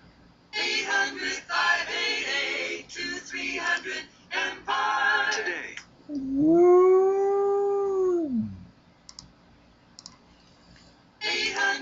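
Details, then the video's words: Husky howling each time it hears a commercial jingle: a long, smooth, slightly rising then falling howl lasting about two seconds follows bursts of the jingle's music and singing, which returns briefly at the end. "Husky Howls When Hearing Commercial"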